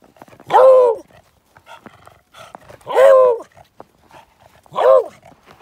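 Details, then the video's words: A female Beagle on the Airport Trail in Juneau, Alaska, bays to ask for a treat: three loud, drawn-out, ringing barks spaced a couple of seconds apart. A bay mixes a bark and a howl. "Loud Beagle Barking and Baying!"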